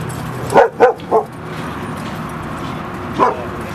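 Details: Dogs Rosy and Rocky playing at Seal Point Dog Park on the western side of San Francisco Bay, February 10, 2015: three quick sharp barks in a row, a pause, then one more bark, over low outdoor background noise.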